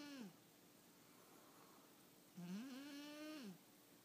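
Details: Sergio, a pet cat, snoring while asleep indoors: a short tonal snore at the start, then after a quiet pause a longer, rising and then falling humming snore lasting about a second.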